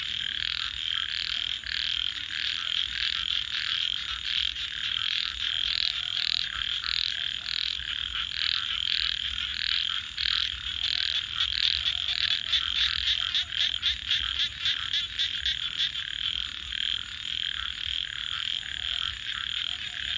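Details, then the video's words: Frogs at night croak together in a thick, continuous chorus, with short raspy pulses bunching into faster rattling runs midway. A constant thin high-pitched pulsing whine and a low murmur run beneath. "frogs 🐸 Sounds"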